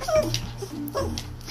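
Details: A four-year-old Pomeranian, described as always hungry and filmed at the owners' parents' home, lets out a short high whimper and then a second brief whine. Faint household noise is heard behind it.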